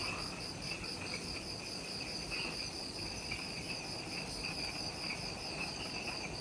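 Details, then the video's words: Insects calling at twilight in the forest of Ishigaki Island, Okinawa, Japan, near the Mount Omoto trailhead: dense, evenly pulsed high-pitched trills stacked in several bands, continuous throughout, with faint low background hum. "Forest Twilight Sounds – Ishigaki Island | Relaxing Jungle Ambience with Insects"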